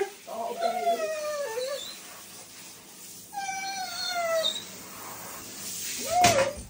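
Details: Siberian Huskies getting a bath indoors: two drawn-out, whining calls slide downward in pitch, each about a second long, then a brief rising-and-falling yelp near the end, with soft talking and room noise underneath.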